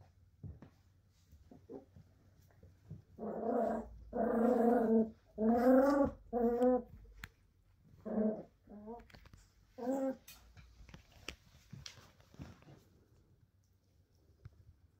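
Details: Three Cairn Terrier puppies, one male and two female, give drawn-out, wavering whines, then a few shorter yelping calls.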